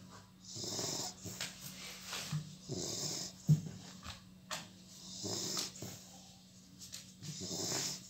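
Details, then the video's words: Sleeping Labrador Retriever puppy snoring: breathy, rasping snores in rhythmic bursts roughly every second, with a faint steady hum in the background. "Labrador puppy - Buddy Snoring"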